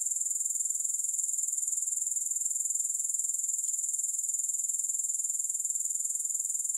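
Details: An unbroken, shrill grasshopper trill, high and thin, pulsing steadily about four times per second throughout, with no music or other noises.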